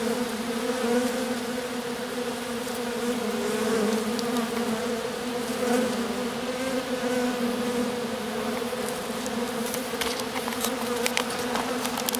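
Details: Honey bee swarm posed in the grass, queen accompanied by a few faithful workers after the colony swarmed; loud sustained buzzing hum swelling slightly midway, with scattered brief ticks toward the end.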